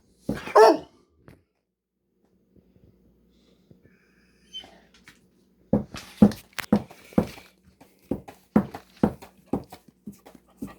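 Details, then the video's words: Indoor pet dog talking back to its owner: one sharp bark at the start, a long pause, then a run of short, rough yips and grumbles about every half second, mixed with the owner's praising voice. "Funny dog talks/barks back at me when I was talking to him"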